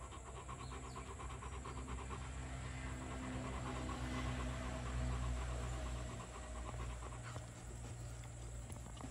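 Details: Two-year-old male Rottweiler pet panting in a brisk, regular rhythm of about four breaths per second, partly masked by a steady low droning hum that swells in the middle.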